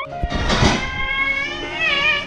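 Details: Hungry house cat that has begged for food all afternoon; a long drawn meow with a thump and rustling at its start and a wavering rise toward the end.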